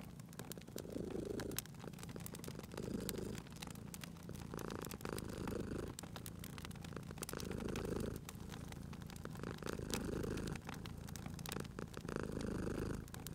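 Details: Contented sleeping cat purring near a fireplace: a continuous low rumble pulsing in regular breath cycles about every two seconds over thirteen seconds, accompanied by constant crackling and popping of the fire.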